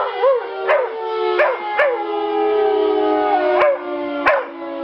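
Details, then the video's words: Pet dog Tia gives a run of short arched yelping howls, about six bursts that rise and fall in quick succession, set against a continuous steady harmonic drone. "Howling dog (Tia)"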